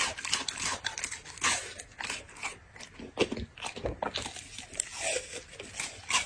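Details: Eating dog heard up close: dense, bright crunching and crackling bites that come in quick irregular bursts throughout, without any pauses.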